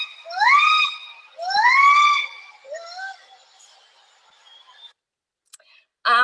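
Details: A female Javan gibbon (Hylobates moloch) from a regularly followed group gives her great call, or long song, at Gunung Halimun Salak, Java: long rising whooping notes that swell and then fade.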